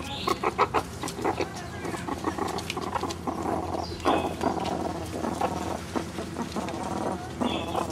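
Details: Three one-year-old meerkats foraging for bugs and hidden mealworms in an overgrown enclosure give a busy stream of short, clucking chirps and murmurs, overlapping in quick bursts.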